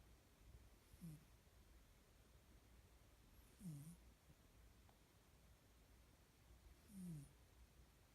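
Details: Sleeping cat snoring softly: three low, falling snores about every three seconds, each with a faint breathy hiss, in a quiet room.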